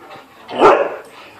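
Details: Two dogs playing together during a visit, one of them a malamute shepherd mix. A single sharp, loud bark rises abruptly and fades within half a second, with a faint voice just after.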